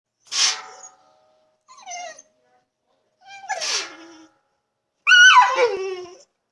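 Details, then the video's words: Female pet dog indoors whining in distress because she cannot reach the water she loves to chomp on; four separate whines, high and sliding downward, some with breathy huffs, spaced by short silences. "Dog In Distress! (Funny whining noises!)"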